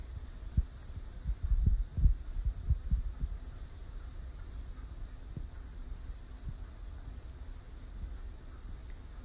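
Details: Low dull thumps and a steady hum, with no animal voice heard.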